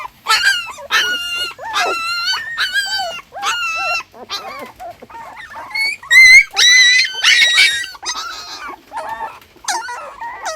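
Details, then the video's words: Crying puppy from a litter of six born together, giving high, strained whines with jagged pitch, short yelps between, and a few overlapping squeals midway as more voices join. "Puppy Crying Sound Effect"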